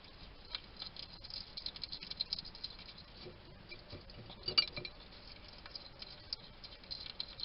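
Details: Wild hedgehog at a garden feeding station in Somerset, UK, caught on a trail cam while eating and chatting to himself: irregular crackly chewing clicks and soft snuffling taps, with one louder crunch midway.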